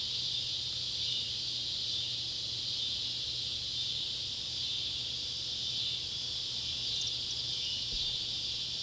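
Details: Neotibicen pruinosus and Neotibicen tibicen cicadas at an old tobacco barn, Ballard County, Kentucky, at sunset on July 31, 2013, drone in a steady, high, shimmering buzz that swells and eases slightly without pause.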